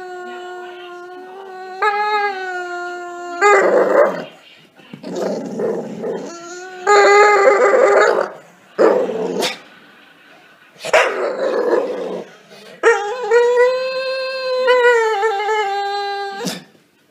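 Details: Staffordshire Bull Terrier howling indoors: long tonal howls with clear stacked harmonics, some rising and falling, broken by yips and short whimpering bursts, with gaps of quiet between calls.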